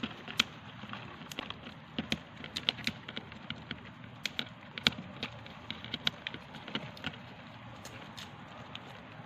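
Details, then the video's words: Hand-held dry seeds being gnawed by a hamster at mealtime, giving crisp, irregular crackling clicks and occasional sharper snaps, spaced unevenly through the recording against low constant room noise. "The sounds of nibbling on dry seeds is amazing especially when hamsters use their hands when"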